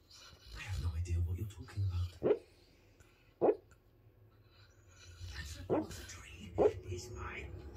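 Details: A female Basset Hound dreaming in her sleep gives short, muffled woofs while a person talks softly.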